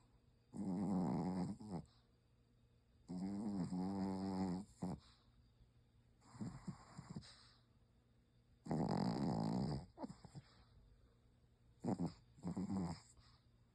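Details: Pomeranian asleep and snoring loudly, each drawn-out rasping breath lasting about a second with a buzzy vibrating tone, repeated in uneven bursts with quiet gaps between.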